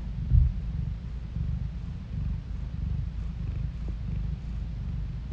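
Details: Cat purring, recorded by phone; low, continuous vibrating rumble with a soft rhythmic pulse, a short knock near the start, otherwise quiet surroundings.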